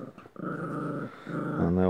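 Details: Toy terrier fighting with its toys indoors, giving a low, rough, sustained growl that lasts about a second, breaks off briefly, then starts again louder; a woman talks over it in a small room.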